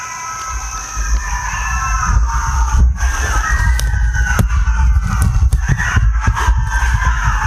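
A pack of coyotes breaks into a chorus of wavering, overlapping howls and yips over a low wind rumble.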